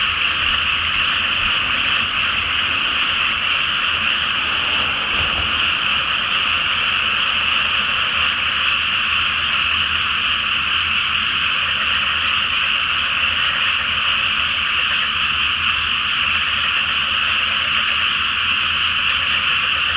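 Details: Chorus of many frogs at night in a rice field flooded ahead of planting, full moon reflected on the water. Unbroken, massed croaking runs for the whole stretch, with a soft low rumble underneath and a brief dip near five seconds.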